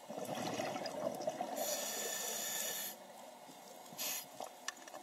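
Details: Loggerhead sea turtle snorting: a long hissing exhalation burst in the middle, then a shorter breathy puff, set over a steady background of bubbling, trickling water.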